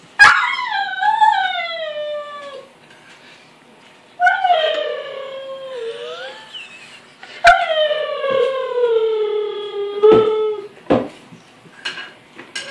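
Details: Rhodesian Ridgeback whining over the gate at dinner time, his lips vibrating; long, sliding, falling whines with warbling bends and a rough fluttering quality, plus short sharp clicks near the end.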